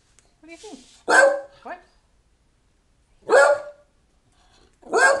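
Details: Pet dog named Scooter barking to tell its owner to hurry up and get ready for a trip to the library; three sharp, loud barks spaced about two seconds apart, with a person's quiet voice in between.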